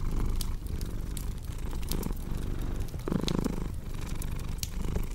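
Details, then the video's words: Soft low cat purr, its breathing rhythm less distinct, joined by a brief louder rustling burst near the middle and frequent sharp fireplace crackles. "Purring Cat with Cozy Crackling Fireplace Sound"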